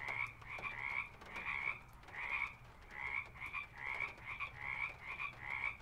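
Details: Frogs calling at a pond, field recording: loud, buzzy, pulsed croaks given in quick clusters of two or three, roughly two per second, with a faint low hum in the background.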